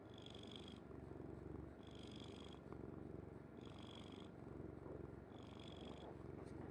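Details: Kuri, a pet cat, purrs while sleeping peacefully on mother's bed: a continuous deep rumbling purr in even breath cycles roughly every one and a half seconds, each cycle carrying a soft airy hiss, in a quiet room.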